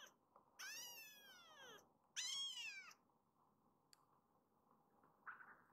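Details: Kittens in foster care, rescued baby cats in a Japanese home: two long, high, arching meows with rich harmonics, each about a second, then a short faint squeak near the end, in a quiet room.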